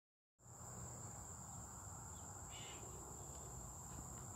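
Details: Cicadas recorded on July 18, 2023, holding one steady, unbroken high-pitched whine from just after the start, with a brief fainter chirp partway through over a low rumble of outdoor background noise.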